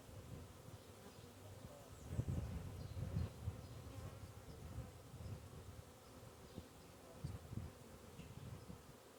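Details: Honey bees living under a bee hive give a low, rough buzzing drone that rises and falls irregularly, with a few louder swells of humming.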